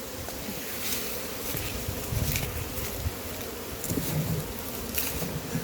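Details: Big honey bee hive being caught and opened up, bees droning in a thick continuous buzz with some individual flight whines rising briefly above it, alongside faint rustling.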